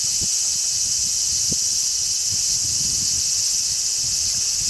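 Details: Numerous large brown cicadas sing from a zelkova on 3 August 2010 amid a strong sea breeze: a uniform high, electric-sounding hiss throughout, punctuated by short low wind bumps against the microphone.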